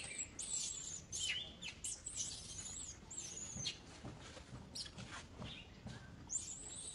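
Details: Baby female monkey screaming as another monkey tries to catch her and she refuses, clinging to an old monkey; high, thin tonal squeals, some sweeping or wavering, repeat in bursts throughout over quiet background hiss.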